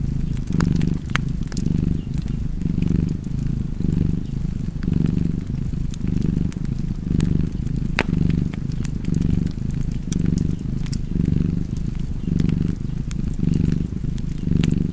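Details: Deep continuous purring from a cozy cat, a throbbing low drone that swells with each inhale and exhale, set against the constant crackle of a fireplace.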